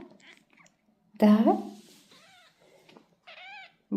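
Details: Young golden British Shorthair kittens with their mother cat indoors at a cattery: a loud short meow, then a softer wavering mew, between bursts of quiet Russian speech from a person talking to the cat.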